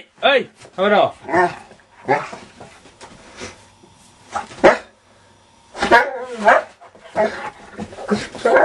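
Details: Diesel, a mad dog wanting out, barks at its sleeping owner: quick arched barks in clusters near the start and again after six seconds, overlapped by a man's voice speaking.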